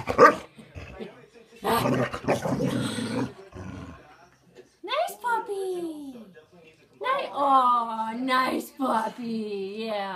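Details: A Boxer gives a run of harsh, harmonic barks that slide downward, barking at a ceramic French Bulldog figurine on first meeting it, with people talking beforehand.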